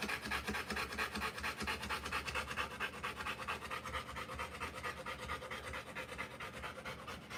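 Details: Rottweiler mother in labour, delivering puppies, her belly too big to let her reach and lick easily; fast, even panting pulses about twice a second without a break through the whole stretch.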